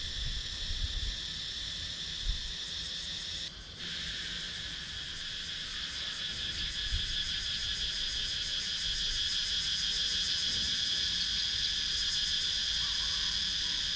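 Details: Wooded countryside in Sakon Nakhon, Thailand, where cicadas keep up a dense, high buzzing drone with a fast pulsing edge. The sound briefly drops out near the start, then swells gradually louder. Captured with a GoPro Hero 9.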